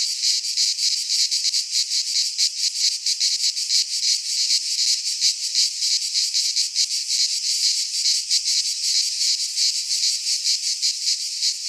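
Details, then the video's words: Midsummer cicada chorus in a pine forest in Greece, a loud, shrill sizzling drone with rapid pulsing throbs running continuously; nothing else audible. "Cicadas singing in midsummer - Nature sounds from the Greek fauna - Sounds of cicadas"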